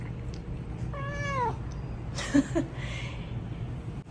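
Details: Replying to his owner's voice indoors, a drowsy male Japanese bobtail cat gives one bright meow that slides down in pitch, followed by brief soft chirps and a woman speaking, all over a low hum.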